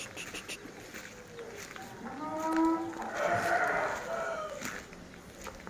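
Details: Tame cattle in Mangunsari low with a wavering moo in the middle of the recording over steady background hiss and soft farmyard noise.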